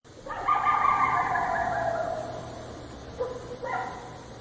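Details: A coyote in the street gives a drawn-out, slightly falling bark-howl, then two short, sharp yelps.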